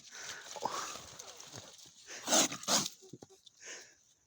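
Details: Kral, the smallest of a litter of kittens, who fought off many illnesses to survive and quickly turns angry; two sharp, loud, noisy hissing bursts close together follow a faint rising whine, with a person speaking softly around them.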